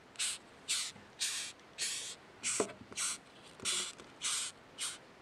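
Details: Rhinoceros beetle (ヒメカブト) perched on a hand and squeaking nonstop: rasping, breathy high squeaks repeated about twice a second in an even series of ten bursts, with slight handling knocks.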